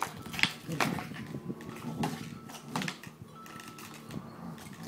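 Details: Samoyed, a noisy dog causing havoc indoors, gives short, low grumbling vocal bursts roughly four times within five seconds, each a brief harmonic yelp-like sound, with faint background noise between them.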